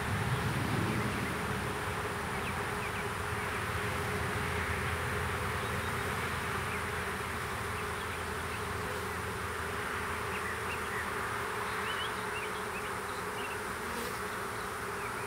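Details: Small swarm of western honey bees being hived in a privet hedge thicket in south Alabama on 12 April 2014; dense continuous hum with steady low drone and broad buzzing haze, a few faint chirps of other birds in the background.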